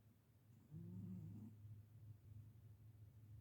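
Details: Marlowe, a pet cat, asleep and snoring: a single low, rough breath of rumbling sound with a faint tonal edge, followed by a steady low hum.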